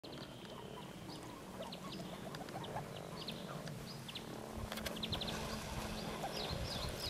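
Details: Frogs during mating season at Kassinurme, April 25, 2011: a dense chorus of short, overlapping croaks with a duck-like quacking quality, thickening in the second half over a low grumbling background.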